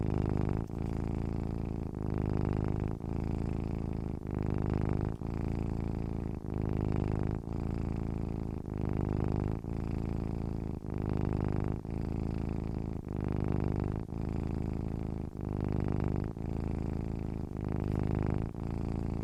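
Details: A relaxed domestic cat purring continuously: deep, rhythmic humming that swells and pauses in regular cycles of roughly one to two seconds across the whole stretch, steady and calm.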